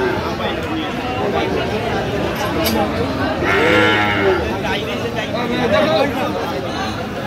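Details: Friesian and cross-bred bull calves at Aftabganj cattle market, Dinajpur, 7 September; short wavering moos rise above steady crowd chatter and bargaining voices, with one stronger call near the middle and a brief higher call later.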